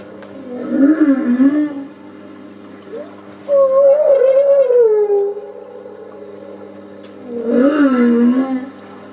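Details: Humpback whale song recorded off Port Stephens, New South Wales, Australia, on 8 August 2009 during a whale-watching cruise: three long moaning, wavering tonal phrases that rise and fall, separated by short pauses, with a faint steady hum underneath.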